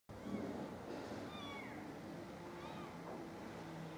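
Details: Stray mother cat, filmed from far away with a zoomed camera, finding her kittens dead; faint drawn-out meows with rising and falling pitch over a steady hiss of background noise.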